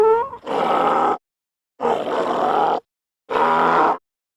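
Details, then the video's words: Donkey braying: a brief rising tonal note opens, then three loud, harsh, rasping bursts of about a second each, separated by short silences. "Sound Effects - Donkey"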